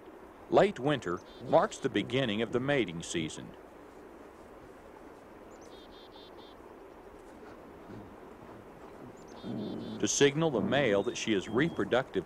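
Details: Coyote vocalizing outdoors: a quick burst of quavering, warbling yips and wavering howls with rich overtones for about three seconds, then a quiet stretch of faint background hiss, then another rapid run of wobbling yips near the end.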